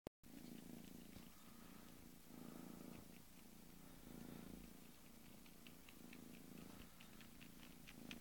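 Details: Bengal kitten purring steadily indoors, a low rumbling drone that swells and eases in breaths about every second and a half, with light clicking and tapping sounds scattered above it.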